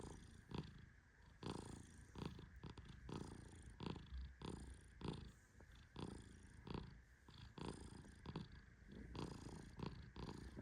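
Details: Tehran, a male Persian cat, snores in deep sleep while being gently petted: soft, low, rough breathy bursts repeating irregularly about every second, with faint rustling between them.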